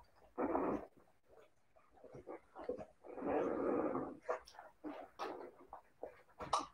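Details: Siberian Husky puppies making low rumbling growl-like noises in two longer bursts, broken up by short scuffles and clicks of play.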